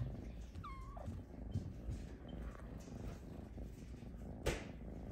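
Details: A female Snow Lynx Bengal cat, napping in her hammock, gives one short, high meow that slides downward, asking to be petted.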